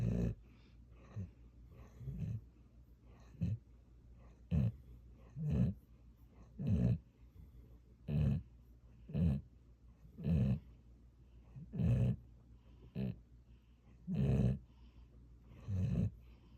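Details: Sleeping pet dog Gyeoul giving a long run of about fourteen short, low snorts and rumbling snores, some brief and clipped, others fuller, irregularly spaced around a second apart, over a steady soft background hum.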